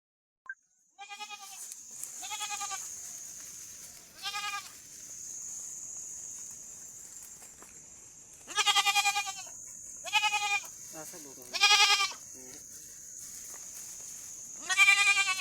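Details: Young goat out in the jungle bleating repeatedly: about seven nasal, quavering bleats, some short and some nearly a second long, irregularly spaced, over a constant high-pitched insect-like buzz.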